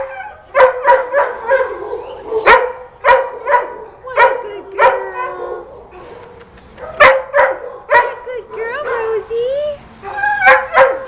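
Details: A dog gives a series of short, yelping barks with a few higher whining yips, coming in bursts about every half second to second, with human speech in between.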